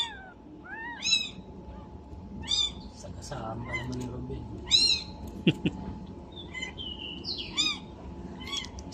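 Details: Two-day-old domestic kitten, apparently missing its mother, giving repeated high arching mews every second or so, with people talking quietly and a short clatter midway.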